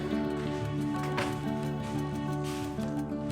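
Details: Instrumental music with steady sustained tones plays throughout, with no animal sound heard.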